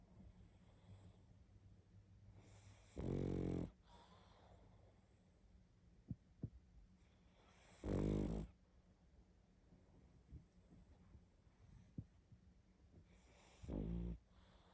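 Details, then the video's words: Pug deep in sleep, snoring loudly in a steady cycle: three throaty, vibrating snores spaced about five seconds apart, with airy exhales and tiny clicks in the quiet gaps. "Как спит Собака🐶Мопс сильно храпит"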